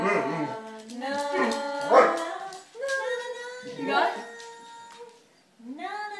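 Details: Basset Hound howling along as Hey Jude plays, long wavering harmonic howls that rise and fall in several drawn-out phrases, mixed with the music, human singing and brief praise.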